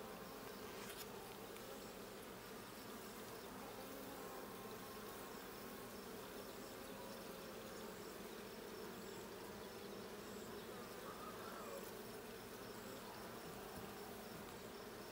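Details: Honey bees in the Blue hive during a hive check on 20 June 2022: a dense, steady colony hum, low and droning, unbroken for the whole stretch, with a faint click near the start.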